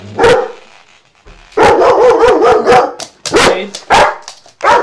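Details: Dog with a loud bark: one sharp bark, then a rapid burst of about eight harsh barks, followed by several spaced single barks, loud and close.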